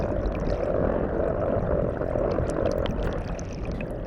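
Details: Medium-sized male brown croaker of the Yellow Sea singing underwater, males competing by song during spawning; a steady, low, rough droning hum with rapid grainy pulsing, plus scattered faint clicks above.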